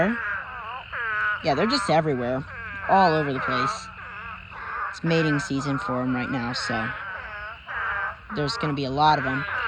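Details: Pond packed with thousands of spadefoot toads gathered in a mating swarm; dense chorus of moaning, quavering calls, individual wails bending up and down in pitch and overlapping, with brief dips between bursts.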